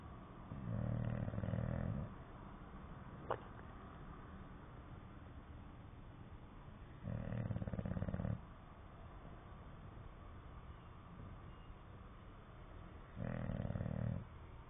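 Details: English Bulldog snoring in its sleep: three low, rattling snores, each lasting roughly one to two seconds, arrive about every six seconds, with quiet breathing between them and one sharp click near the start.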